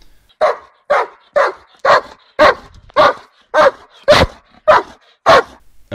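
A Doberman Pinscher gives a run of loud, forceful barks, each short and punchy. The barks come at an even pace, roughly two per second, with brief silences between them.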